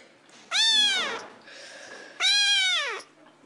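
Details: Pet cat meowing indoors: two loud, drawn-out meows, each rising then falling in a clear arc and lasting under a second, separated by a softer murmur.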